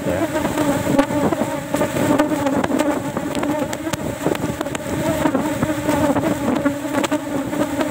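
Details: Asian honey bees from a cultivation box during a small one-frame honey harvest; a steady massed buzzing drone layered with irregular clicks and knocks from the beekeeper's handling.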